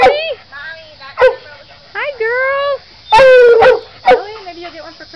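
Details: Female coonhound vocalizing at home as people greet the dogs; a string of short, bending yodel-like bays and one longer drawn-out howl, with a woman speaking between them.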